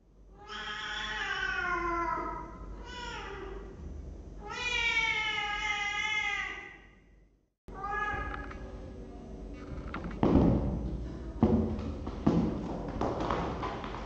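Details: Cat in a cat room, recorded by webcam on 23 December 2015, giving three long, loud, drawn-out meows, the last stretching over two seconds, followed by a cut to clattering and knocking sounds.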